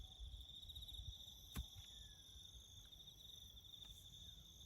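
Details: A steady, high, pulsing cricket trill fills the bush near farm work, broken once by a sharp click, with a quiet low rumble underneath.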